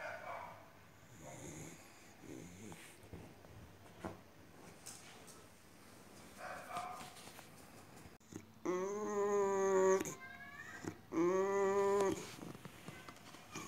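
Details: Female Boxer dog indoors, acting strange; after soft snuffling and quiet background, two loud drawn-out whining howls, each about a second and a half, tonal with steady pitch and a brief pause between.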